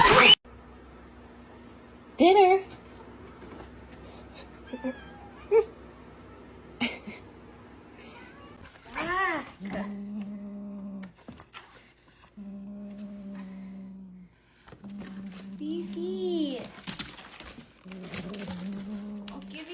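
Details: Pet cat indoors in a quiet room, a few short chirps early on, then a run of arched, whining meows and low steady moaning tones repeated with pauses over the second half.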